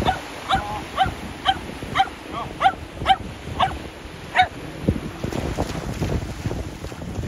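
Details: Sheltie playing ball by the sea with an air shooter launcher: a steady series of about ten high, sharp barks, roughly two per second, stopping midway as wind and surf noise swell.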